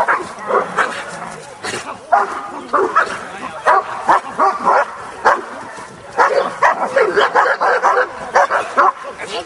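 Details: Kuvasz, possibly Jászszépe Hűség, during a working and attack trial at a Hungarian breed show: sharp barks repeated about twice a second in uneven runs, mixed with people talking and shouting instructions.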